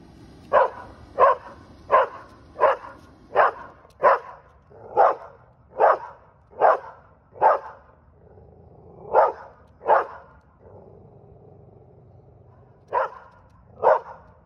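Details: A Standard Schnauzer barks at a balloon in a series of big, deep, forceful barks, each short and spaced roughly a second apart; after a brief pause the barking resumes in a few more spaced-out bursts.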